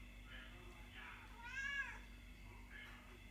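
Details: Kittens meowing indoors in a small room: a clear rising-falling meow in the middle, with softer mews before and after over a low hum.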